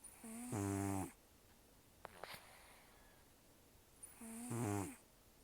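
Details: Taro, a rescued cat estimated at 10 to 14 years old with almost no teeth, sleeps indoors and snores heavily; two rasping, harmonic snores with a quiet breath between them.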